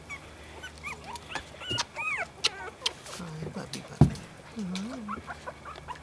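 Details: Outdoor litter of three-week-old puppies whimpering in thin, rising and falling squeals, busiest in the first half, with a person's low voice calling to them and a sharp knock partway through.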